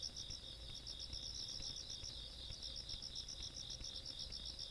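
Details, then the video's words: Insects calling on a country night, recorded 17 August 2022: a steady band of rapid high chirps pulsing several times a second, with a second lower continuous trill beneath, over faint low rumble. "시골밤 벌레소리"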